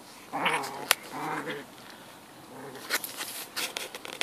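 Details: Boston Terrier puppies, black and white, at play in a garden alongside older dog George: a pair of thin whining yelps early on, then scattered clicks, rustles and scuffling noises.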